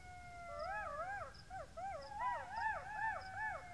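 Several golden jackals join in a chorus of high-pitched, quavering howls. Each voice rises and falls in quick undulating arcs, and the calls overlap into a tangled, yipping wail.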